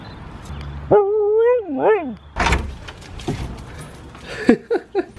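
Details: Pet dog at an indoor Halloween costume party, letting out a drawn-out, wavering whining yowl lasting about a second that rises and then dips, followed by a clattering knock and a few short yelps.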